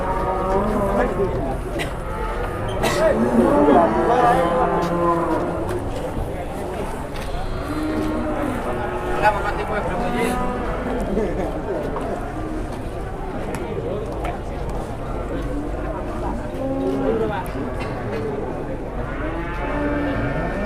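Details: Cattle bellowing at an Indonesian livestock sale featuring an 826 kg bull; several drawn-out harmonic moos rise around the middle, with people talking and market noise throughout.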